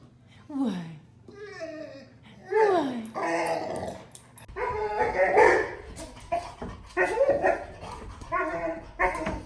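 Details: Golden Retriever excited to see its owner, producing weird Chewbacca-like sounds indoors: sliding, falling whines followed by repeated loud, rough, moaning bark-growls roughly every second, some overlapping a woman's voice.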